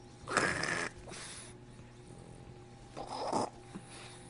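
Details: Indoor French Bulldog producing odd noises: two rough, wheezy snorting blasts, the first about half a second long, the second separated by a pause of about a second and a half, over a faint steady hum.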